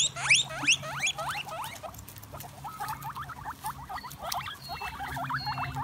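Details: Guinea pig squeaking: a few loud rising squeaks open, followed by a quicker chatter of softer, short hooked squeaks, with a steady low background hum and faint noise.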